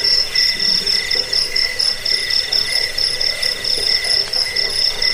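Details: Shrill cricket chirps, played to scare off rats, aid sleep and teach birds songs; rapid, slightly uneven pulsing trill of high ringing notes, with a soft lower buzzing behind it.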